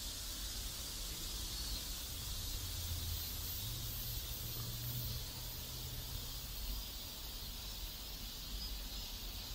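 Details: Cicadas sing in a South Korean residential neighborhood, a continuous hissing high drone with no pauses, laid over low background rumble and a brief low engine-like hum in the middle.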